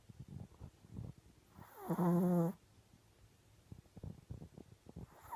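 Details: Peach, a female Japanese Chin × Maltese mix dog, snoring while asleep: low, rough, breathy snores in irregular pulses, broken midway by a loud, nasal, harmonic tone lasting about a second, then the soft snoring resumes.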